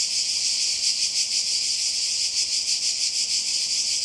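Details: Summer cicadas on the Croatian coast, 2020, droning in a loud continuous high-pitched buzz that swells and fades in quick regular pulses.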